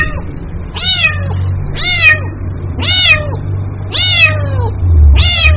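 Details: Kitten calling for its mother: five loud, high meows, each rising then falling with rich harmonics, spaced about one second apart, over a low steady hum.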